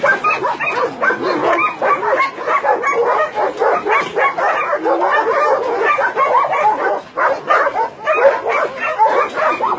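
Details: Many dogs at a combined meat farm and puppy mill in Nonsan, South Korea, January 2017, with Doberman, Shar Pei, Chow Chow and Golden Retriever among about 150 dogs, barking and yelping continuously in an overlapping, dense chorus.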